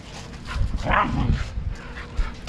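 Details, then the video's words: Siberian Huskies from a home pack of parents Turbo and Cloud and their four pups, fighting; one short, harmonic, growly bark midway over low rumbling and scuffling noise. "my huskies fighting!"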